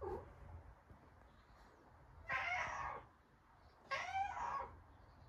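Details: Pet cat asking to be let outside, giving two loud, rich meows roughly one and a half seconds apart, each about three-quarters of a second long with a bright, slightly wavering tone, in a quiet room.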